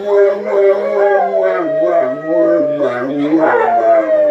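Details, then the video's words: Several Cane Corsos howling together in response to a siren, including two females; layered sustained howls, one deep voice stepping downward beneath higher wavering tones, continuous throughout. "Funny Dogs howling- Cane Corso Sings Bass"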